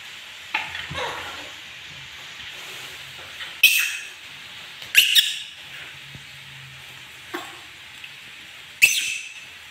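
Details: Pet monkey angry, producing short shrill shrieks spaced a second or more apart, a couple of them doubled, over a faint steady background hiss.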